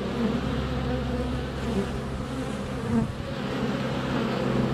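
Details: Steady, thick hum of honey bees in flight at the hive entrance, recorded close on a sunny February day with a GoPro Hero 7 Black; overlapping low wingbeat tones with small swells in loudness.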